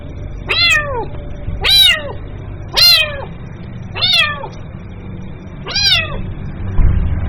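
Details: Kitten calling its mother: five clear, harmonic meows spaced about a second apart, each rising then falling in pitch, with a low steady hum underneath.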